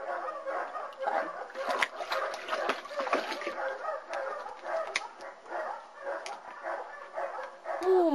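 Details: Ten-week-old German Shepherd puppies from a Florida kennel litter of four females and five males, born June 26, 2009, give dense overlapping yips and short barks in quick bursts, with a woman's voice talking nearby.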